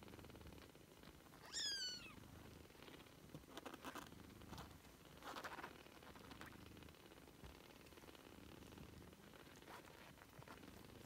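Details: Three-week-old British Shorthair kittens: one clear, high, thin mew slides downward for about half a second near the start, then soft rustling and faint low murmuring fill the rest.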